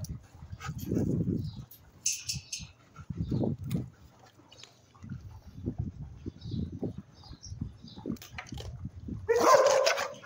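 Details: A female Rottweiler guard dog growls low and rumbling in repeated bursts, guarding her food while she eats.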